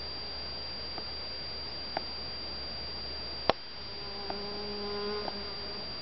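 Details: Garden honey bees working blooming white and yellow Shasta daisies in spring or summer; a short humming drone passes near the end, preceded by a few soft taps and a loud click, with steady background hiss and high whine.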